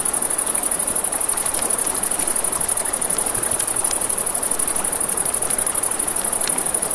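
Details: Crickets at night beside a river, a steady high-pitched pulsing trill held without a break, over rushing river water and scattered sharp pops of a crackling campfire.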